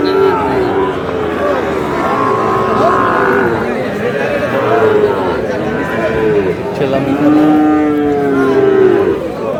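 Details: Sahiwal bull calves at a crowded cattle market, 21 February 2026, as a Cumilla farmer shops for them. A run of long, even lows repeats across the stretch, some overlapping, over a steady murmur of people talking and haggling.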